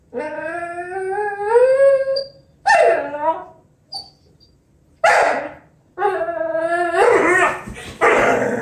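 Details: A female Vizsla whines in drawn-out, wavering tones that rise and dip, broken by short yelps.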